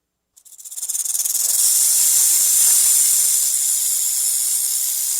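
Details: Snake hissing when threatened or frightened: a steady, sharp, high airy hiss that swells in quickly pulsing waves and then holds continuously to the end.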